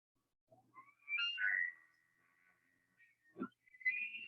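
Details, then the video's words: Bugling elk in a meadow, Rocky Mountain National Park, heard as a recording: rising whistled notes climb into a long, steady, piercing tone that fades, followed by a low grunt and another shrill rising whistle. "But for my person who voted for an elk, yes, that was the sound of an elk bugling in a meadow. So weird, right?"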